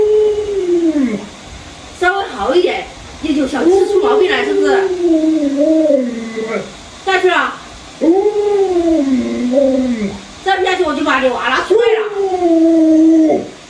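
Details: Pet Alaskan Malamute Luoluo reacting while its owner scares it wearing a mask: drawn-out, wavering mid-pitched howls that slide downward, repeated in several bouts separated by short gaps, with human voices in between.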